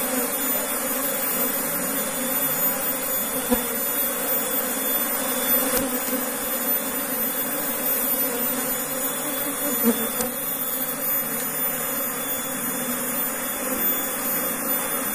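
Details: Asian honey bees (Apis cerana), a colony recently moved from another area into a beekeeping box, humming steadily: a low continuous drone with layered tones, unbroken for fifteen seconds, a few faint clicks or knocks, and a soft hiss behind it.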